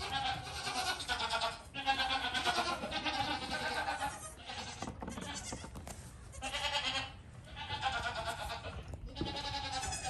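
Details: Goat kid giving long, quavering bleats, each lasting one to two seconds, with short pauses between; four main calls, loud and clear over faint background noise.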